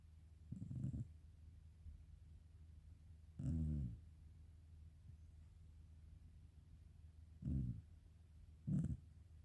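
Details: A sleeping black Shiba Inu snoring softly; four low rumbling snores about a second long, spaced irregularly at roughly three-second intervals, over quiet background.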